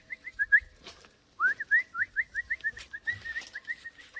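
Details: Jack Russell Terrier puppies giving a fast stream of short, high whimpers, several each second, briefly pausing then continuing in an uneven chain, with faint rustling underneath.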